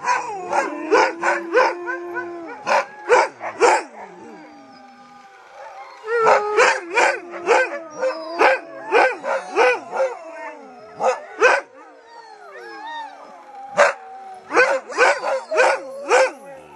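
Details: Siberian husky howling in Lapland, long wavering howls gliding down in pitch, overlaid with rapid bursts of sharp barks and yips coming in clusters, with a short lull near the middle before the barking and howling resume.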